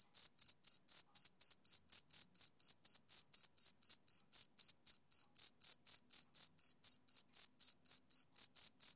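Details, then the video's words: A male cricket chirps as on summer evenings, each short shrill pulse following the last at roughly four per second, very even and uninterrupted, with nothing else audible. "Cricket Chirping Sound Effect"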